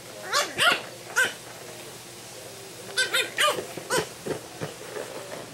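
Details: French Bulldog playing with a plastic bottle for the first time, giving short, squeaky yips and grunting whines that rise and fall. They come in two quick bursts separated by a quiet gap, over steady background hiss.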